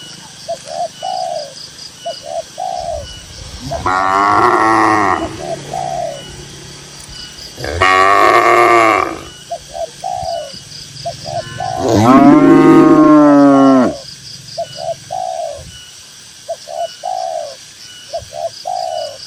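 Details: Herd of dozens of cows in a green grassy pasture giving three long, loud moos spaced about four seconds apart, the final one deepest and longest, with gentle dove-like coos repeating in the quiet gaps.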